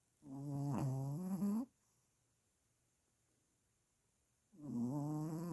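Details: Pomeranian puppy asleep indoors with its eyes open, snoring hard: two loud rasping buzzy snores about a second and a half each, separated by roughly three seconds of quiet breathing.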